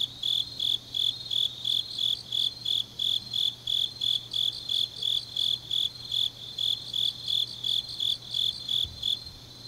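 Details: Grass insects singing on an autumn night in Changnyeong, Korea: high, ringing chirps in a brisk regular pulse about three a second, fading slightly at the end, with a faint steady low hum.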